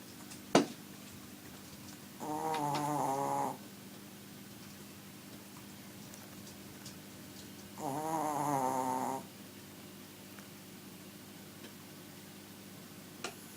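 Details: A very small pet dog snoring loudly indoors; two long rasping, buzzy breaths about five seconds apart, each lasting over a second with layered harmonics, separated by quiet stretches and a couple of faint clicks.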